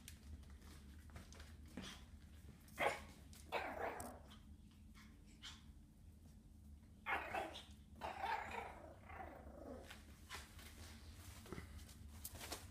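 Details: Schipperke puppy indoors giving short, harsh, broadband barks and growling bursts in two clusters, near three to four seconds and seven to nine seconds, over a steady low room hum.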